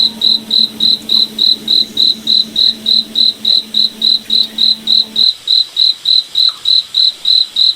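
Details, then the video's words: A moonlit forest at night with a cricket chirping steadily, short high pulses evenly spaced at roughly three and a half per second, over a low droning tone that stops abruptly after five seconds. "Cricket Night Forest Ambience"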